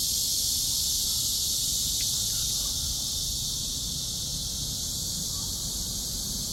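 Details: Cicada calling outdoors during a walk: an even, shrill buzzing hum held throughout, high and continuous, with a brief faint click partway through and low ambient noise.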